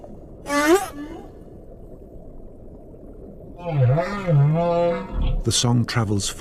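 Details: Humpback whale calls: a short upswept cry rich in overtones, a few seconds of near quiet, then a longer wavering, undulating moan before a narrator's voice cuts in.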